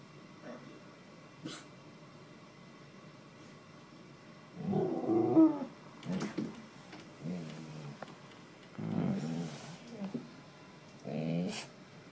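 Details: Morning wake-up calls from a Bull Terrier: soft, low grumbles and short groaning bursts repeated several times, with faint rustling between them.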